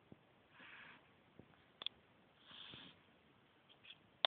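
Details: Sleeping 9-week-old Beagle puppy snoring loudly indoors: two soft, breathy, hissing snores about two seconds apart, with a few faint clicks between and a sharp tap at the very end.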